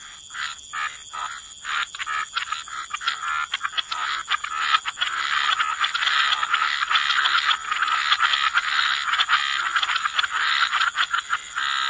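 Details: Croaking frogs in a waterside wetland, starting as distinct raspy pulses and merging into a loud, continuous overlapping chorus, accompanied by a steady high hum.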